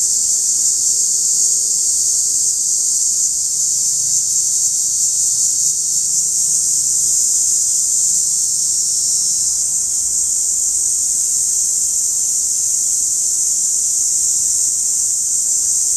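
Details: Periodical cicada heard close up: a loud, unbroken high-pitched whine holding steady for the whole stretch, with only faint low background noise beneath it.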